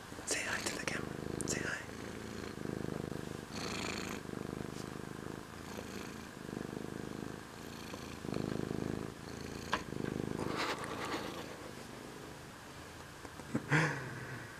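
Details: Charlie, a grown male domestic cat once found on the street and brought home, purring in a room. Low, steady rumbling rises and falls in roughly one-second breathing cycles, overlaid by soft whispered Spanish speech and light tapping.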